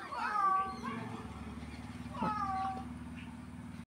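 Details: Cat giving two drawn-out meows about two seconds apart, each with a rising-then-falling wavering pitch, over a steady low hum.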